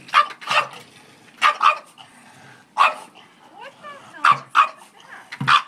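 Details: French bulldog Charlie attacking a bucket of dog hair: loud barks often come in quick pairs, separated by short pauses, with a brief thin whining sound in the middle.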